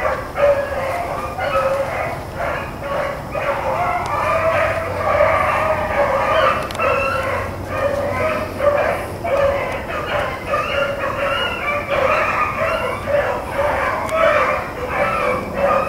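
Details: Rabbit-running hounds, Blackcreeks and Blueticks, on April 4, 2013: a long, continuous pack chorus of clear bawling bays and short chop barks overlapping without pause, holding a strong, even pitch throughout.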